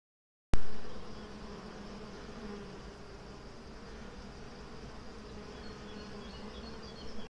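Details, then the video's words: Honey bees kept by a traditional, artisanal organic beekeeper producing honey and hive products; a steady, low droning hum of many bees holds without pause after a sharp click at the start. "nos abeilles"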